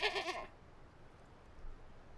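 A goat lets out one brief bleat, nasal and tremulous, with a quavering pitch over about half a second. After that only soft outdoor ambience remains.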